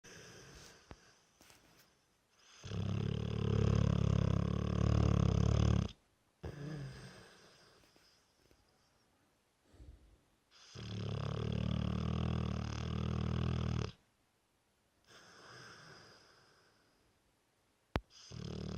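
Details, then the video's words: Brewster, a 3-year-old Dorset Old Tyme Bulldog, snoring loudly in his sleep: long, deep, rumbling harsh inhales lasting about three seconds each, alternating with quieter snuffling exhales, repeating in a slow steady cycle. "Bulldog snoring"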